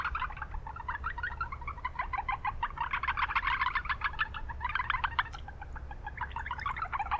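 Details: Chorus of Japanese brown frogs in a wetland within a town, rapid repeated chuckling notes from several frogs blending together, swelling midway, with persistent low-pitched traffic-like noise underneath.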